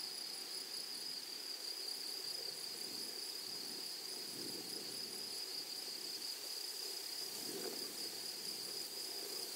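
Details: Grasshoppers in a flowery meadow or prairie: a steady, shrill, unbroken high-pitched buzz with a fainter, even higher shimmer above it, plus soft low rustling and a few faint knocks in the background.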